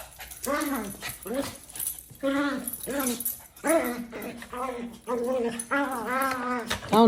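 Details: Pet Maltese dog making funny sounds while fighting indoors: a run of high, harmonic whining and grumbling vocalisations, each arching up then down, about ten in seven seconds, nearly continuous toward the end.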